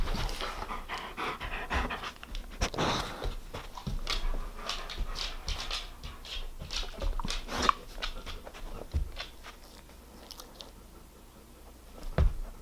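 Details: German Shepherd, almost eight years old and full grown, enjoying a treat indoors: steady rhythmic panting breaths with wet chewing and licking noises, a louder burst near three seconds and a sharp knock near the end.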